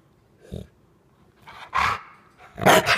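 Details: A female Rottweiler plays at attacking her owner, acting on cue with a toy, and gives harsh, rasping growls in short bursts as a playful mock attack rather than real aggression.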